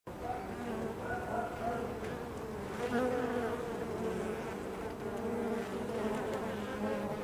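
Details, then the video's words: Honey bees at a hive entrance, a dense, steady buzzing hum of many wings with overlapping droning tones and no pauses. "Honeybee Hive Entrance"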